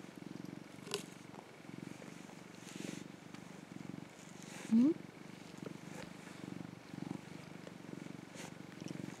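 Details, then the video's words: Orange tabby rescue cat Mac, a sweet-natured male, purring as he basks in the sun; steady low throbbing bursts roughly every half second, with one brief higher squeak midway. "甘えん坊 茶トラ猫｢マック｣〜ﾒﾁｬかわいい♪ 喉を鳴らし、猫キック！？ - Cute Cat Mac Purring. Sweet Kitty !"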